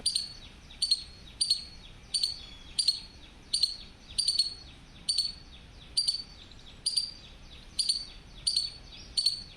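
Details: Squirrel (gilhari) calling with sharp, very high chirps. About fourteen of them come in a steady series, roughly one every two-thirds of a second, each a quick double-edged chip. A faint continuous low background hiss runs underneath.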